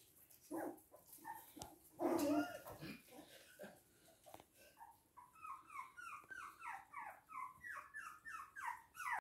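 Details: Poodles, toy and miniature, in Hahnstätten on 19 February 2022: a couple of louder yelps early on, then a fast regular series of brief downslurred whimpers, several each second, continuing steadily to the end.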